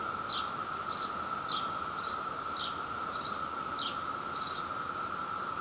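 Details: New Jersey Brood II cicada chorus at peak emergence, with a male calling to a female during mating time. A flat, sustained buzzing tone carries on beneath a series of crisp high bursts recurring about every half second.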